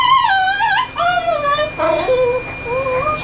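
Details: Ollie, a very vocal dog being groomed by a mobile pet grooming service in Oklahoma, USA, lets out a run of wavering, yodel-like whines that bend up and down in pitch, in four drawn-out phrases separated by short pauses.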